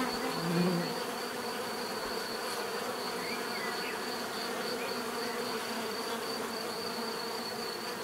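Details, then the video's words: Bees buzzing in a dense, steady drone layered across many pitches, with a constant high thin tone and a brief faint low hum near the start; no other sounds stand out. "bees therapy relaxing natural buzzing sound"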